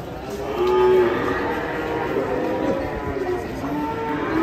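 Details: Huge, enraged cow being unloaded from a truck, giving a single low, drawn-out, harmonic moo lasting about half a second, over steady background noise and faint human voices.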